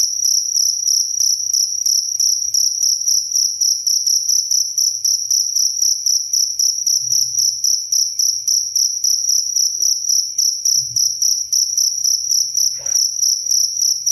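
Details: Cricket recorded as a clear, calming sound also used for tutoring songbirds: continuous high, shrill chirping with a strong tonal band and a fainter higher overtone, pulsing in rapid regular bursts about four per second, with faint low thumps underneath.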